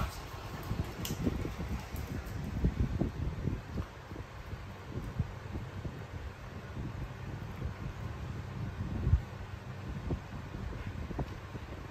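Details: Low rumbling handling noise and rustling, with faint thumps and no animal voice.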